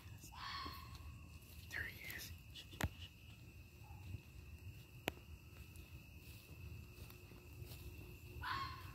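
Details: A red or grey fox passing through a suburban neighbourhood at night on its way to the den gives a few harsh, hoarse yelps spaced seconds apart; the owner suspects a mother calling her young.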